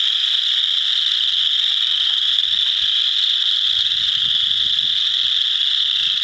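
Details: A dense chorus of chorus frogs in a frog pond, a few wood frogs among them, their high trilling calls merging into one steady shimmering drone.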